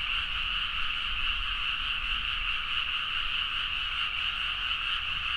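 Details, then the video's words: Frogs in full chorus after dark in paddies at Nagaoka, Niigata, recorded on a Zoom H4n; relentless overlapping trilled croaks, high and bright, about two pulses a second audible within the din, level and continuous, slight low rumble. "The frog sound at mid night (環境,自然音 -深夜のカエル大合唱-)"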